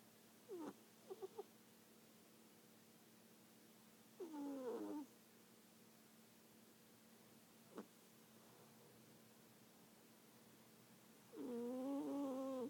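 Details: Sleeping cat snoring, with drawn-out, nasal, wheezy tones on each breath, roughly three breaths with long quiet gaps, plus a few short clicks in a quiet room.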